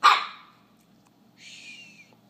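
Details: Young male Alaskan Klee Kai puppy objecting to a paper fast-food cup he dislikes: one sharp bark, a brief pause, then a thin, high, slightly wavering whine lasting about half a second, in a quiet room.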